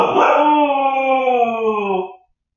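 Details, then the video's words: Siberian Husky puppy named Shadow, left home alone indoors while its owners went to dinner and watched on camera, gives one steady, harmonic, slightly wavering howl of about two seconds that then stops abruptly. "husky puppy left home alone freaks out!"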